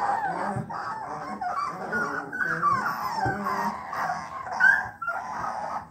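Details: A litter of 3-week-old bluetick coonhound puppies gives thin, wavering cries and short overlapping whines, beginning to bawl. Their first attempts at a drawn-out hound bawl rise and fall in pitch with a nasal, squeaky tone.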